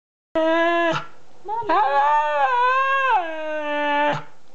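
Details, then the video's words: A two-year-old Siberian Husky gives a clear, mid-pitched, sustained howl-like call that breaks into a warbling, rising-and-falling phrase before ending abruptly. "Siberian Husky talking"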